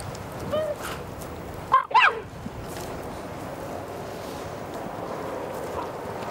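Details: Cheetahs at a feeding site in Hlane Royal National Park, Eswatini, filmed in the early 1990s, some mock charging and hissing at a fluffy microphone windjammer; two sharp, loud rising chirps follow a faint tonal note, over steady outdoor background noise.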